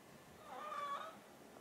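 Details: Hungry house cat, one of a pair (an orange tabby and a grey mackerel tabby), begging while waiting for mealtime; a single drawn-out, tonal meow with rich harmonics, swelling mid-clip then fading, in a quiet indoor room.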